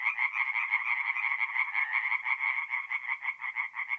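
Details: Forest pond at night in April, north-east Italy, with singing tree frogs: dense, fast rattling croaks about three per second, overlapping voices forming a continuous nasal chorus.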